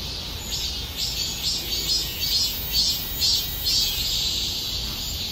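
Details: Cicada song in rhythmic high buzzy pulses, about two per second, swelling and fading over a constant hissing background.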